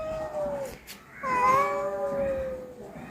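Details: A cat that has come to a home to be fed, startling Ruby, gives two long, level meows in a row. The second meow starts with a brighter, higher onset, and faint room noise sits between them.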